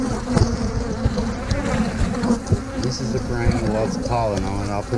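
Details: Dense buzzing of a honey bee colony during a hive inspection as brood frames are shifted to another hive; the hum is thick and continuous, with clicks of frame handling and a brief human voice near the end.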